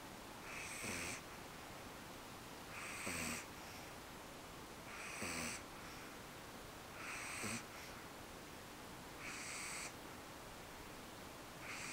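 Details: Snoring of Eve the dog, sound asleep after coming home exhausted from her first park visit; six breathy, wheezing snores at a steady rhythm of roughly one every two seconds.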